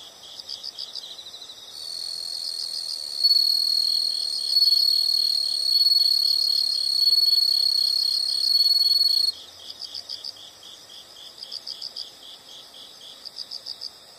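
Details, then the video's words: Insect chorus of quick, high-pitched pulsed chirps, overtaken for about eight seconds by a loud continuous piercing trill, then fading back to grouped chirps. "the sound of insects"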